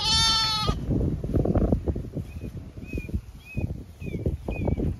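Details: Zwartbles sheep of the main flock moving to windcharger field for cool late-afternoon grazing on a regenerative farm in County Kilkenny, Ireland; one loud, wavering harmonic bleat opens, then low thuds of grazing and scattered high bird chirps.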